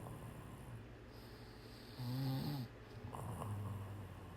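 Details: Sleeping cat giving a single loud, low rumbling snore midway, a short harsh inhaled rasp, then a quieter exhale, over steady background hiss.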